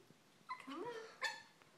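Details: Puppy letting out a thin, whiny squeal that slides upward in pitch, followed by one short, higher yelp.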